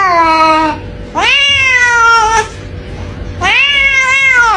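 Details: Domestic cat giving three clear, drawn-out meows, each rising then slowly falling, about a second and a half apart, in a quiet room.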